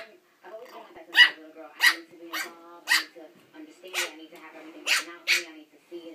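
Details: A Pekingese puppy fights his own reflection in a mirror, letting out sharp, high yapping barks in uneven bursts with grumbling whines between.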